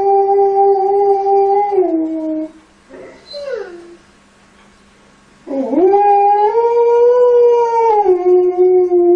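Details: Alaskan Malamute puppies playing with kids: a long, steady howl that drops in pitch and breaks off, a pause with brief soft whines, then a second howl rising from a scoop, held level and stepping down at the end.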